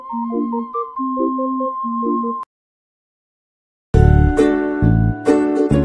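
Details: A gentle keyboard melody plays, breaks off into a second and a half of silence, then resumes as fuller chords, with no animal voice.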